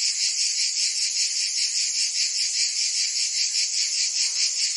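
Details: Provençal cicadas in summer in France, singing as a constant high rasping drone that throbs rapidly and evenly, a chorus filling the whole stretch with nothing else audible.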